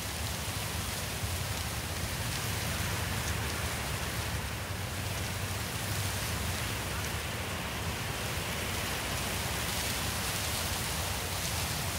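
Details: Dense, even roar of heavy rain drumming on a surface throughout, with no animal calls audible.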